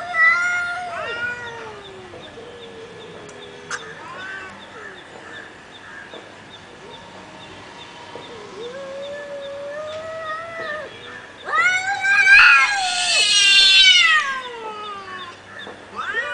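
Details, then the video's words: Two domestic cats fighting, caught on camera: long, low wavering yowls drawn out for several seconds, then a sudden harsh, screeching burst near the end with rising and falling wails, over a steady faint background hum. "real fight of two cats"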